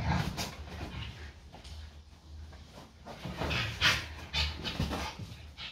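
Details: Two best-friend Staffordshire Bull Terrier-type dogs play fighting; one growls low and rumbling in bursts, with panting between.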